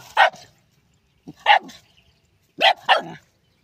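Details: Pet dog named Apara attacking a big snake while hunting: sharp, loud barks, single and doubled, coming in three bursts spaced about a second apart, with quiet pauses between.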